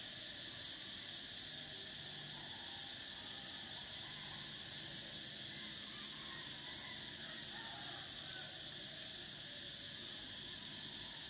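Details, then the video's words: Cicadas of Thailand singing in summer: an unbroken high whining drone whose top band switches off and back on twice, softer birdlike notes faintly beneath. "Cicadas: the sound of summer"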